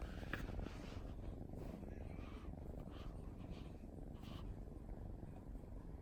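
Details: Continuous low purr from a drowsy female mixed-breed kitten named Wasabi, half-asleep on her favourite sofa on a lazy holiday afternoon; the fine, regular pulsing holds steady for six seconds in a quiet room.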